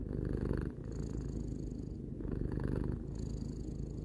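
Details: Three-year-old house cat purring, a soft low vibrating rumble with two breath cycles, brief dip in loudness between them, steady and soothing.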